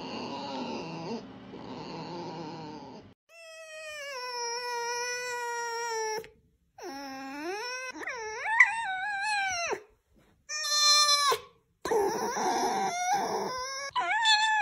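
A red fox gives long, strained whining wails that rise and fall, then sharper yelping cries.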